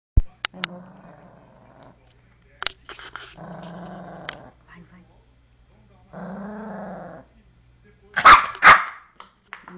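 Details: Angry poodle attacking, growling in long rumbling spells with a few sharp clicks, then loud harsh barks near the end.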